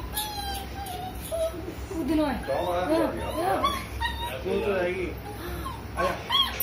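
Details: Young German Shepherd puppy jumping off a bed, whining in wavering, high-pitched bends and short looping cries, the whimpers bunching together mid-clip while music plays underneath.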